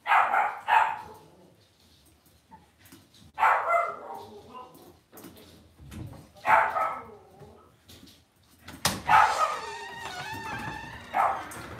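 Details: Cavalier King Charles Spaniel puppies raised indoors in a home puppy pen give sharp, high yelping barks in bursts about every three seconds, then a wavering, whistled whine near the end, against a quiet room.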